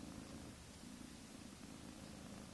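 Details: Mother cat with kittens a few weeks old, purring up a storm: an unbroken, low, buzzing rumble with gentle rhythmic pulses, quiet under a hissy background.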